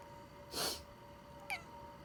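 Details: Pet cat reacting to its owner's sniffle: a loud breathy sniffling burst is followed a second later by one brief, high, downward-sliding meow, against a faint indoor hum.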